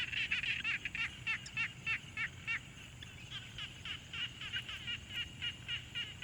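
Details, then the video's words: Frogs at a quiet pond, field-recorded with a Tascam Portacapture X6: a fast run of short, bright, rattling notes about three per second, fading briefly midway then resuming at a steady pace over soft, constant background hiss. "Frog Sounds| #001 |Quiet Pond Nature Ambience"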